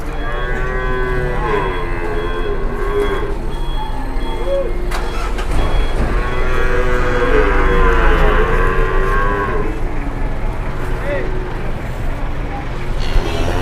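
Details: Very large cow being loaded onto a vehicle by several people, lowing in repeated drawn-out, wavering moos over a steady engine rumble and occasional voices.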